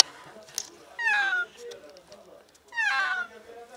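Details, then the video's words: Distressed cat trapped on the ground floor of a closed-off alley, apparently sick, meowing for help; two loud, falling, harmonic meows about 1.7 seconds apart, each roughly half a second long. "Cat trapped in an alley desperately meows for help"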